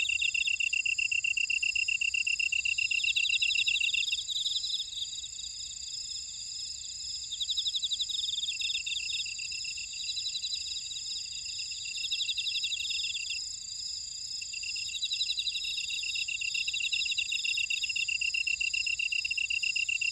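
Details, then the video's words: Grass insects of a Jeju buckwheat field sing in overlapping high bands, a steady pulsing trill dropping out and resuming several times over a constant shrill ringing background, with nothing else heard. "제주 메밀밭의 풀벌레 소리 (Sound of a buckwheat field)"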